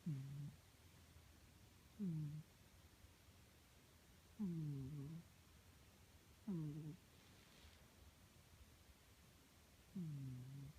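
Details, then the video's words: Domestic cat snoring steadily: five short, low, humming breaths, each sliding down then holding, repeated roughly every two seconds with quiet gaps between. "My cat is snoring"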